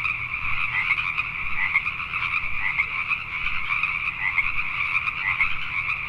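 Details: Many Pacific tree frogs croaking together after dark in Richmond, British Columbia, Canada; rapid overlapping calls blend into a continuous trilling chorus, steady in loudness, with a faint low-pitched rumble beneath.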